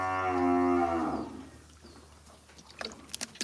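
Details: A cow at a cattle trader's farm, recorded outdoors without a microphone: one loud, richly harmonic moo lasting over a second that sags and fades at the end, followed by wind and scattered clattering noises.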